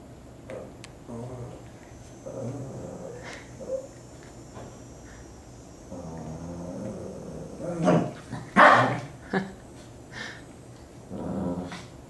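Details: Rescue Shih Tzus Kiwi and Leo wrestling and playing tug of war indoors; low rumbling growls come in bursts, then a few sharp barks and yips, with soft background noise.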